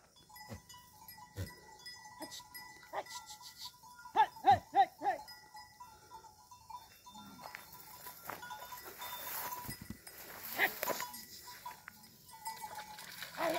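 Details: Desi goats from Chhattisgarh, free grazing in the evening and crossing a stream on their way home, give a quick run of four loud harmonic bleats midway, with scattered softer bleats, a steady ringing tone and rustling.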